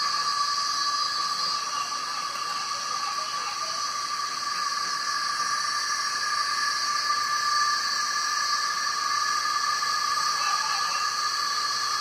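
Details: Male cicadas invading trees by a lake trail sing to attract females, a loud, unbroken chorus of steady, shrill, hissing drone.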